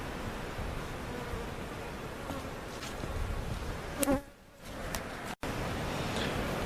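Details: Swarming honey bees taken from a giant hive cutout hum steadily during relocation at Jerome Bee Farm, Central Oklahoma. A low, even drone with faint tonal whines, broken by a brief thump and a sudden dropout near the end.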